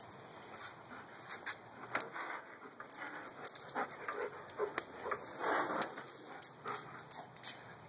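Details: Female German Shepherd named Sammy with fibrotic myopathy, her left hind paw sore after a long walk the day before. Short broken whimpers and soft cries come in uneven bursts over low household background noise.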